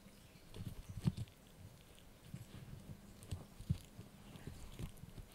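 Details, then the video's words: Yorkie puppy Blue gnawing a dried bunny ear, uneven crunches and soft low thumps spaced irregularly, a couple of louder crisp bites standing out against quiet indoor background. "ASMR Yorkie Puppy Eating Dried Bunny Ear 🐾 | Funny Faces & Crunchy Sounds!"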